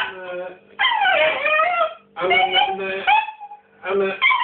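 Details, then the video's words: Pet female dog indoors, asking for her ball: three bursts of high, wavering whines and yelps with rising and falling tones, separated by short pauses, with a person's voice nearby. "Dog barking for ball"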